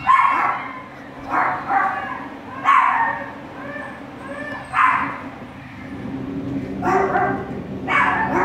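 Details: Two Border Collie puppies on their first day at a shelter; repeated high yapping barks in bursts about every second or two, with a steady low hum behind.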